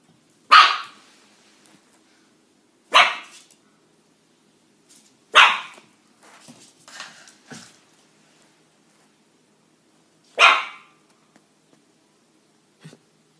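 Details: Pet dog barking repeatedly: sharp, loud single barks at irregular intervals of two to five seconds, five strong barks with softer short yips and huffs between them, in a quiet room.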